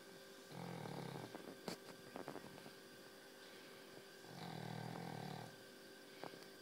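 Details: A very tired dog snoring indoors: two drawn-out, low rumbling snores about a second long each, separated by a few seconds of quiet breathing, with faint clicks between them and a steady background hum.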